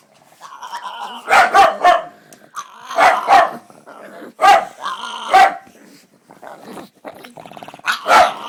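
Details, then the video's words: Pug making odd noises indoors: rough growling barks and grumbles in clusters, loud bursts about every one to two seconds with softer throaty rumbles between. "Weird Pug Noises"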